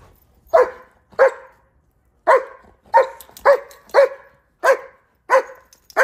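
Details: Dogs at play in icy Chicago snow, German Shepherds chasing one another with a Rhodesian Ridgeback nearby; around nine sharp barks at an uneven pace, some doubled, separated by brief silences.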